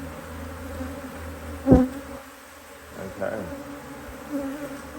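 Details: Honey bees at a Hive IQ beehive in Australia, mid-Autumn 2023, as the hive is opened to add a box of empty frames in fine weather; a steady low buzzing drone, broken by one sharp knock just before two seconds.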